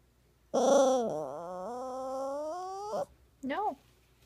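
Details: Poodle puppy crying: one long drawn-out tonal whine lasting over two seconds, dipping then slowly rising, followed by a short rising-falling whimper.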